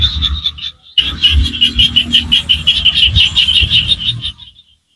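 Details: Chorus of small frogs from rice fields in rural Cambodia, giving high, clipped pulses repeated about three times a second in a fast regular train, which stops abruptly near the end, leaving silence.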